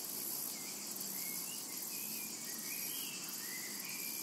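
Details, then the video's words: Cicadas in a tranquil summer meadow: a steady, dense high-pitched hiss with a fine buzzing pulse runs unbroken throughout, while faint short bird chirps and whistles slide across the middle range. "Summertime and Cicada Ambience"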